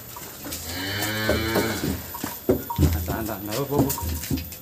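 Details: Cattle being weighed at a small farmer's holding in Grabag, Magelang, Indonesia. A deep, resonant moo swells over the first two seconds. Irregular, choppy voiced sounds and thumps follow, against a steady low hum.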